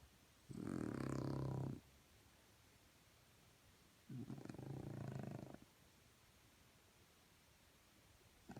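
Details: Morning snoring from a French Bulldog, with deep, rattling breaths lasting just over a second each. They come every three to four seconds with near silence between them, and a third snore begins at the end.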